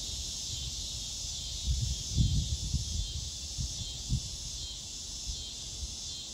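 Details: A scissor grinder cicada (Neotibicen pruinosus, also called dog day cicada) fills the air with a continuous, high-pitched electric buzz that holds steady throughout, with soft low thumps and rustles briefly in the middle.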